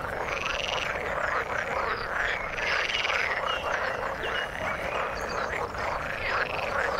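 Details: A thick frog chorus in the water: rapid overlapping croaks throughout, with some rising and falling whistled notes repeating above the crowded calling.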